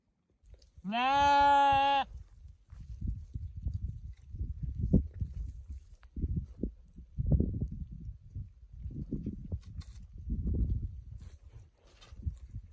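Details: Sheep giving one loud, steady bleat lasting about a second, nasal and rich in overtones, then a stretch of low thumping and shuffling noises with no further calls.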